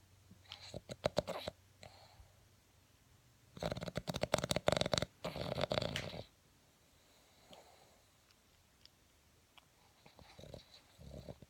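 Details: Sleeping Boston Terrier snoring: buzzy, rattling snores vibrate in bursts, the longest lasting over two seconds, with quieter snuffling breaths between them.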